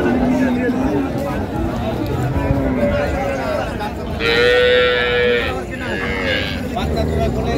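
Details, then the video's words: Cows with calves at the Raniganj cattle market in Dinajpur, Bangladesh, on 8 May 2025: a low drawn-out moo with a higher, longer bellow mid-clip, amid steady crowd chatter and market bustle. "বাছুর সহ গাভী গরুর দাম"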